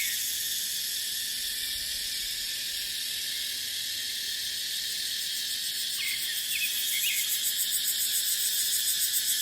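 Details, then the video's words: An even, sizzling cicada drone of the dry-season dipterocarp forest runs throughout and grows a little louder near the end. A few quick chirps sound around six to seven seconds. "เสียงจั๊กจั่น สายลม ในป่าเต็งรังยามหน้าแล้ง"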